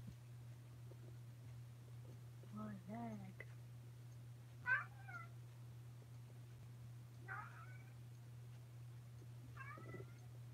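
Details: Alabama kittens filmed close-up indoors on 28 May 2018 make four separate meows, spaced about two seconds apart. Each meow is short and bending, and the third is the loudest. A constant low hum sits underneath, and faint handling noises can be heard.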